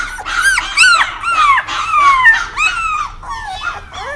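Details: {'caption': 'Dog giving a run of high, squeaky whining yelps, each sliding downward, about a dozen in quick irregular succession, indoors.'}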